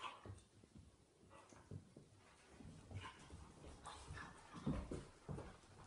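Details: A 5-year-old male Irish Terrier and a 10-week-old female puppy roughhouse in play. Low, rumbling growls run continuously, with sharper snarling bursts building toward the end.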